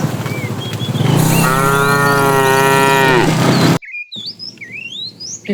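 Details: Tame herd cows wandering far to find food; a single strong, droning moo lasting about two seconds over a steady low hum, followed by quick whistled bird chirps after a brief break.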